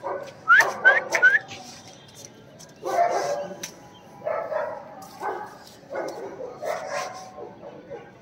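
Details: Adult male German Shepherd barking: a run of hoarse, mid-pitched barks, roughly two per second at first, then more spaced, over a background of steady noise.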